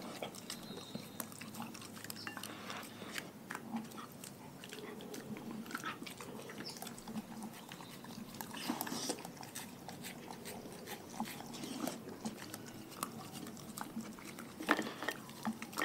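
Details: Pack of dogs eating a raw food diet, close-up crunching and chewing: dense irregular crackles and wet bites throughout, a sharper crunch near the end, quiet room background.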